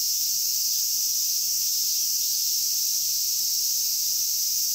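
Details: Steady cicada chorus at Inagi Central Park, a dense, high sizzling buzz that stays constant for the full few seconds while the insects are hunted by hand.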